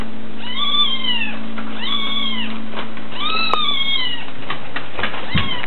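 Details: Kitten from a funny cat compilation giving a run of high, arching meows, each rising then falling, about four in under six seconds, over a steady low electrical hum.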